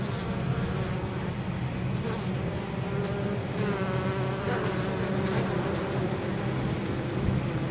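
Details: Honey bees returning to their hive with pollen and probably nectar on 23 October, in unusually mild weather, foraging on cover crops in fields near the apiary. A dense, low, droning buzz of many bees, with individual flight hums rising and falling as they pass.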